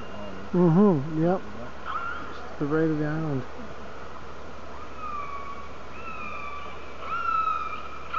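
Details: Orcas heard on a hydrophone near Telegraph Cove, British Columbia, beside a whale-watching boat, calling to each other underwater with wavering, harmonic-rich cries, then thin high whistles sliding up and down.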